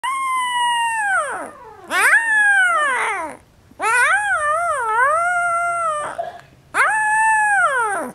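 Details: A 12-day-old female Alaskan Malamute/Siberian Husky puppy protests being put back in her basket with high, wavering howls that slide downward in short bursts.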